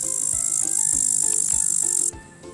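Great green bush-cricket giving a continuous, very high, hissing buzz that cuts off abruptly after two seconds, over light background music with soft tones and plucks.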